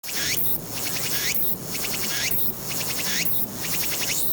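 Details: Walker's cicada singing on 22 August 2021, recorded with a Nikon Z7: loud, high buzzy phrases, each a rising sweep followed by a rapid pulsed stutter, repeating about once a second over a steady shrill hiss.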